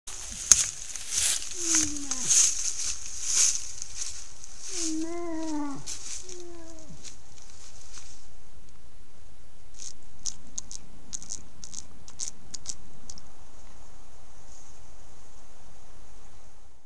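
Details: Moose moaning, recorded by a trail camera in Massachusetts: drawn-out, slightly falling harmonic moans around the first six seconds, with clicking and ticking above, then a quieter stretch of low rustling.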